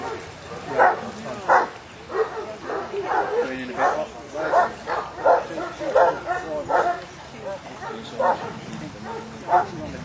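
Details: Newfoundland named Harry Potter during a water test, Section D, on a choppy Lake Bala in Wales; a steady run of loud barks comes roughly once or twice a second, mixed with human voices nearby.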